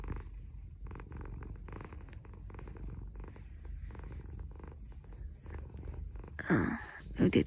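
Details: Pet orange cat Dahuang lying on its owner in the morning purrs in a low, pulsing rumble, then near the end a louder rising vocal sound, likely a short meow or voice, breaks in.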